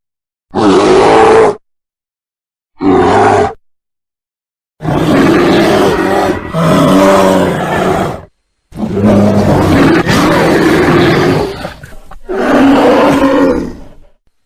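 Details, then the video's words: Bear roaring in six loud, raspy bursts. The first two are short and spaced apart, followed by longer, rolling growls lasting up to three seconds. Silent gaps come between the bursts, and no other sounds are heard. "Real Bear Sounds"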